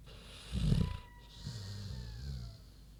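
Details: Sleeping pig Queenie gives one deep, rough snore, a loud rattling inhale then a softer wavering exhale, while a faint thin whistling tone drifts in the background.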